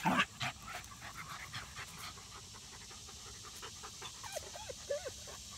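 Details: Zimbu, a rat terrier, playing with his sister Nalla: quick rhythmic breathy panting bursts, with a few short whiny rising and falling tones near the end.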